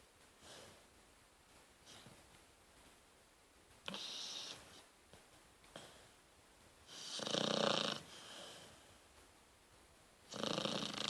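A sleeping Rottweiler puppy snores in soft, breathy bursts with a raspy hiss on each breath.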